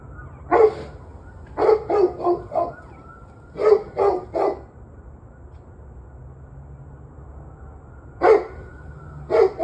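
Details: Dog barking on November 21, 2023 at 7:06 pm: loud, sharp barks come in quick bursts of three or four, with pauses of a second or more between bursts. A faint steady whine persists in the background.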